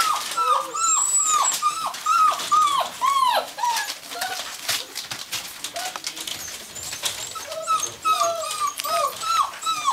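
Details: Whimpering from Gordon Setters at the Natolińskie Wzgórza kennel: a rapid run of arched, nasal whines, roughly two per second, with several dogs overlapping and a lower second voice weaving beneath, then a pause before the whines resume.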